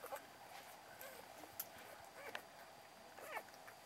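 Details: Litter of six Beagle puppies, three males and three females, five days old, recorded October 29; faint high squeaky whimpers, with two short wavering squeals near the end over a steady soft background hiss.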